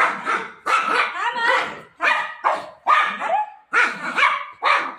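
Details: Golden retriever dog searching desperately for its owner in play, with loud, high-pitched, whiny barks repeated in separate bursts about once a second, some ending in a drawn-out falling whine.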